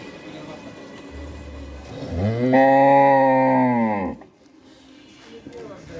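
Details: Pregnant Red Friesian cow, a two-toothed heifer nine months in calf and due with her first calf, offered for sale on a farm in Pabna district, Bangladesh; one long loud rising-then-falling moo of about two seconds, low hum before.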